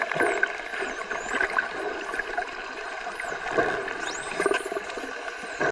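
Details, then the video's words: Dolphins submerged in the ocean make an odd, vague noise: thin whistles sweep up and down high overhead, over gurgling, trickling water and a steady underwater hiss. "Dolphin 🐬 makes an odd noise while Submerged"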